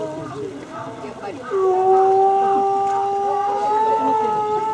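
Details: Gray wolves at Asahiyama Zoo howling during the 16:30 park announcement on 29 May 2014; long steady tones begin midway and hold through the end over a busy background with a spoken announcement.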